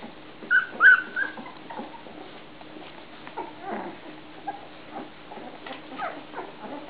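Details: Puppies whimper, with a cluster of high, thin squeals in the first second and a half. Softer, scattered whines and rustling follow through the rest of the clip.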